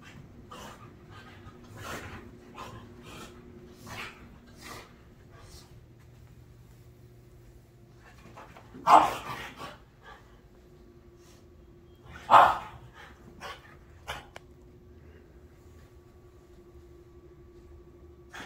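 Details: ['Two French Bulldogs, a black male and his red fawn sister, chasing each other indoors at night before bedtime with the zoomies; two sharp, loud bark bursts about three seconds apart over scattered soft scrabbling and thumps.']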